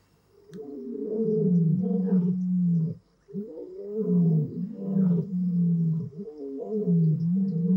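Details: Lions of the Madrid pride or Marataba males at Blue Canyon Private Game Reserve roaring in summer, young males learning to roar from their fathers; deep grunting roars in long swelling bouts with brief pauses, overlapping voices.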